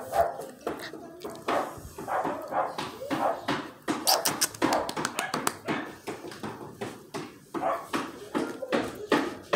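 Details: Miniature Australian Shepherd puppies indoors, several voices giving dense, overlapping high yips and short barks, repeated rapidly throughout with brief whimpering notes, accompanied by some human speech.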